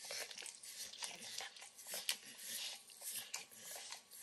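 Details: Bacon treat crunched and nibbled by Max, a 9-year-old Pit Bull, in a small kitchen. Crisp bites and tearing crackles mix with wet mouth smacks at an uneven pace, including one sharp louder crunch midway.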